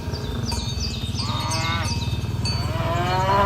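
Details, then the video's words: Tame cows being herded toward the pen along village roads in the morning; low, throaty moos with harmonic bands overlap a steady low rumble, while high chirping bird calls sound throughout. "the sound of cows mooing"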